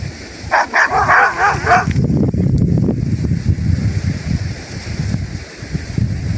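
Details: Village Kangal dogs: a tight series of five or six rapid, wavering barks in the first two seconds, followed by a steady low rumble with no further calls.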